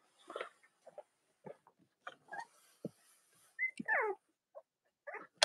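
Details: Cavalier King Charles Spaniel puppies on a split-screen live stream from a litter room in the US, on a chilly Monday morning near Halloween with three nursing mothers. Brief high squeaks and whines come in scattered bursts, including a rising-then-falling squeal near four seconds.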